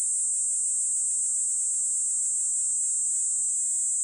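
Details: Kaempfer cicada (niinii-zemi) singing with a modulated tone: a continuous, dense, high-pitched shrill buzz held steadily throughout, without pauses, on a clean silent background.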